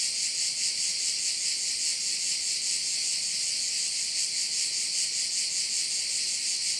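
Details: Crickets along a Korčula bay, Croatia, giving a loud, seamless high-pitched shrilling with a gentle rhythmic pulse of roughly two and a half beats per second.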